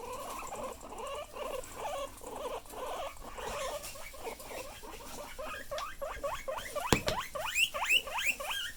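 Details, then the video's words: Pet guinea pig squeaking loudly: a burst of short, rapid, rising squeaks repeated about three times a second, growing louder and sharper toward the end, with soft rustling and patter underneath. "Loud Noises"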